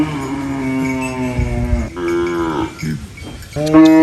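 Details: Cow on a countryside farm, eating banana leaves, lets out a long steady low moo, then a rising-falling second moo and a short final call, with light bell clinks behind.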